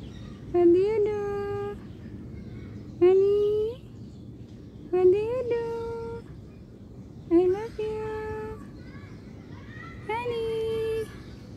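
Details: Cat meowing: five clear, loud meows spaced two to three seconds apart, each a short rising slide that levels into a steady, drawn-out tone, over a quiet background.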